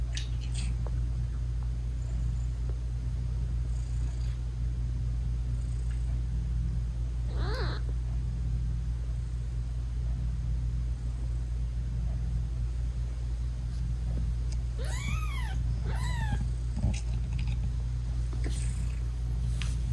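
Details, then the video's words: A mother British Shorthair cat nurses her tiny newborn kittens and purrs loudly and continuously in a deep, even rumble. A few brief, soft meows rise and fall around the middle and later on. "ASMR Cat Purring Meowing 🥰Sweet Mommy Cat Talking to her Cute Tiny Kittens 😘British Shorthair Cats"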